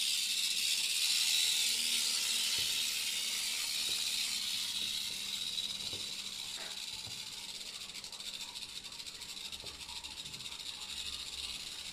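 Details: Central American rattlesnake (Crotalus basiliscus) in a terrarium producing a sustained high, airy buzzing rattle that fades a little in the second half, with a few faint clicks and a low hum beneath.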